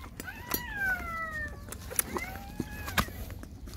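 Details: Mother dog GiGi nursing her six puppies; long, smooth, falling whines in layered tones, one drawn out over a second and another shorter one near the end, with soft clicks and rustling.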